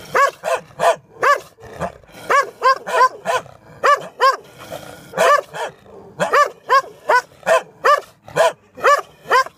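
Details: Dogs behind a fence barking frantically, a fast run of harsh, evenly pitched barks about three per second, briefly pausing before resuming the same rapid barking.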